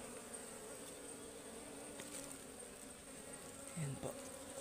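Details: Continuous low drone of honeybees at a wild forest ligwan hive during honey harvesting, with a steady high-pitched whine overhead. A brief rustle and bump sound near the end.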